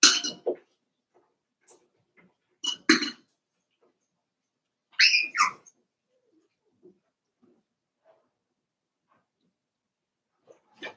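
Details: Five-week-old Cavalier King Charles Spaniel puppies from Daisy's litter in an indoor puppy pen: a few short squeaky whines and snuffly bursts, including a rising-then-falling whine near the middle, separated by long quiet gaps.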